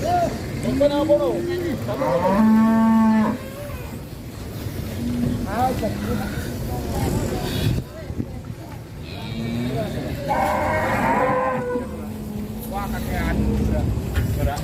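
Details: Agitated cow, described as raging and out of control, gives loud harmonic moos, one long low bellow around two to three seconds and another near ten to eleven seconds, with shorter lower moans between; speech and background noise underneath.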